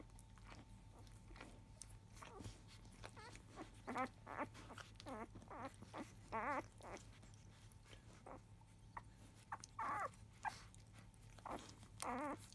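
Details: Newborn Labrador Retriever puppies of a field line, five days old, make a noisy fuss at the start of nursing shortly after 1 pm. Short squeaky whimpers and yelps burst out irregularly over soft rustling and a steady low indoor hum.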